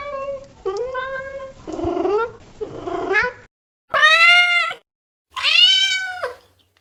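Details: Cat meows in an irregular series: several wavering, lower meows first, then two loud, bright, arching meows separated by short silences.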